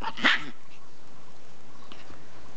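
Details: Ten-week-old imperial Shih Tzu puppy giving one short, sharp bark right at the start, then quiet room noise for the rest.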